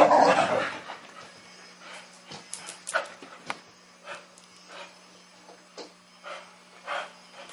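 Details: Female Chow Chow puppy Sasha, teething, playing indoors with a mechanical ball toy: a loud opening burst, then short separate yips and whimpers at irregular intervals over a steady low hum.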